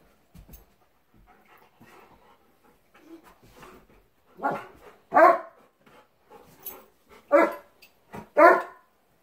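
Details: Pet dogs, a Labrador and a German Shepherd, indoors on a Sunday morning: a few sharp barks stand out after quieter huffs, spaced one to two seconds apart against a silent room.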